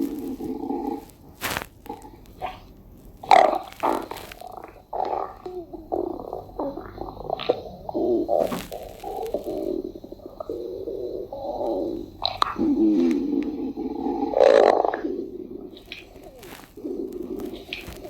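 A deer's stomach gurgles and rumbles in low, bubbly churning sounds with occasional sharp clicks.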